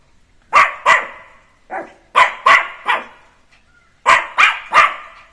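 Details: Jack Russell Terrier puppy Neo, freed from his cage and playing at home; short bursts of two or three sharp high barks separated by brief pauses, roughly eight barks in all.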